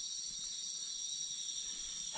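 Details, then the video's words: At a forest edge where the vegetation turns tall, cicadas keep up a steady, shrill chorus on one high, continuous buzzing tone without pause; they are absent where the vegetation is low. "Au niveau du son, vous entendez les cigales"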